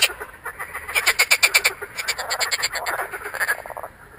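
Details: A marsh frog (Pelophylax ridibundus) croaks with its vocal sacs inflated, on 2 June 2013, giving a rapid, rattling chatter of harsh pulses that rises, then tails off.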